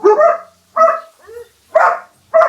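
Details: Barking German Shepherd Dog puppies, four loud clipped barks spaced roughly every 0.8 seconds with a softer, higher little yelp slipped in between, nothing else audible.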